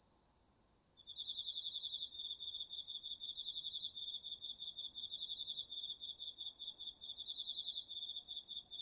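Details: Crickets among a chorus of autumn insects in a home garden's vegetable field at night, captured on a DR-40X recorder: a steady high ringing tone overlaid from the first second by a fast, continuous pulsed trill, rapid and even throughout.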